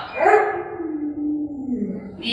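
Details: Pet Alaskan Malamute Lolo at home: a drawn-out vocal howl starting higher and sinking gradually in pitch over two seconds, over a noisy background with talking around it.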